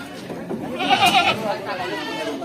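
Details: Jawarandu goat at a busy goat market, buyers crowding around; one loud, wavering nasal bleat rises in the middle of the clip, set against steady human chatter and voices.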